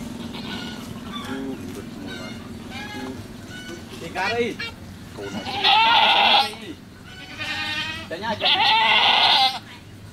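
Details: Goat at a farm during the birth of a kid, giving several loud wavering bleats in the second half, with people talking quietly earlier on.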